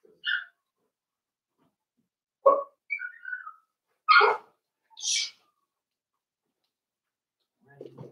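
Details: Daisy's four-week-old Cavalier King Charles Spaniel puppies in their pen, with a few separate sharp yelps and one thin squeal spaced over several seconds, then a short low sound near the end.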